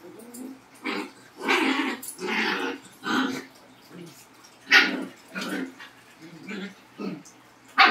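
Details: Pet Labrador and Husky giving drawn-out, rough barks and growling vocal sounds, several loud bursts about a second long with quieter grumbles between.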